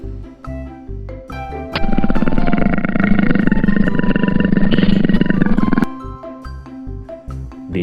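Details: Tiger giving one long, deep, rumbling roar that lasts about four seconds at steady loudness, with children's background music before and after.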